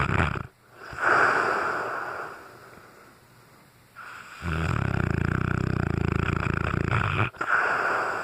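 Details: Loud snoring from Brutus, a sleeping Cane Corso: a rough, rattling snore at the start fades into a quiet pause, then a long, deep, buzzing snore returns, broken by a brief gap before it resumes.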